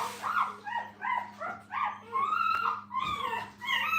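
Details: Puppies beside their mother at a training kennel give a near-continuous run of high, wavering whines and yelps, rising and falling every half second or so, over a constant low mains hum.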